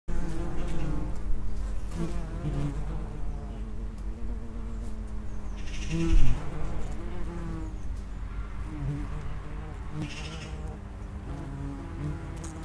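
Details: Common wasps, Vespula vulgaris, at the entrance of an underground nest: a steady low droning buzz with stacked harmonic bands, wingbeat tones wavering as insects come and go, one louder flyby near the middle.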